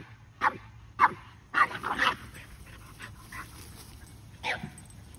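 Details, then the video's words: Keeshond Kumo and Boston Terrier Sully playing chase together; a few scattered, muffled barks and yips over a steady background hiss, with pauses between bursts. "Funny Boston Terrier And Keeshond With Mud Butt Have An Epic Chase!"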